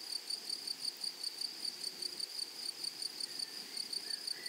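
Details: Grasshoppers singing in a prairie meadow: a bright, even train of high ticking pulses, roughly three per second, over a continuous thin hiss, with a brief faint whistle near the end.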